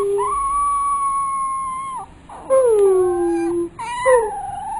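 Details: Pit bull puppy being trained to "talk": long, smooth, tonal howls, one held steady and then dropping, followed by a falling wail and a wavering rise, with a faint high steady hiss.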